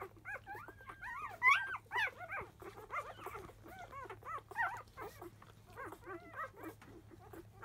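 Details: Five-day-old Labrador Retriever puppies, field type, born to Biscuit, making a racket as nursing begins: bright, bent squeals and yelps from more than one pup, crowded together, loudest early then continuing in quick bursts.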